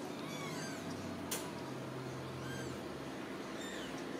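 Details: Ragdoll kittens from a home cattery in central Kansas, raised without cages, giving thin high arched meows, a few faint calls overlapping, with a sharp click midway and a low steady hum underneath.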